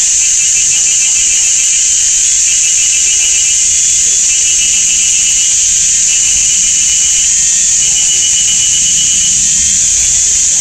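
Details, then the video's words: In a sunny summer forest at GuanYin Shan, Taiwan, cicadas make a very loud, ear-deafening din. A piercing, constant high whine with a faint pulsing trill beneath it, steady from start to end. "GuanYin Shan Forest and Cicadas"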